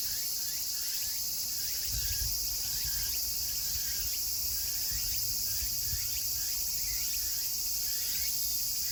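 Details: Chorus of Meimuna opalifera cicadas in Kawagoe, Saitama, Japan, on August 24, 2020, at summer's end: a dense, continuous shrill hiss with one singer repeating short, falling, rhythmic phrases about twice a second.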